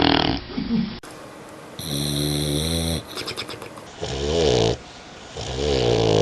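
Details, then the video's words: Snoring from a sleeping dog: harsh, buzzy, wavering breaths repeating about once a second or so, with a thin whistle riding on some snores and softer pauses between. "เสียงสุนัข..นอนกรน..!! ชัดๆ100%(Dog snoring sound)"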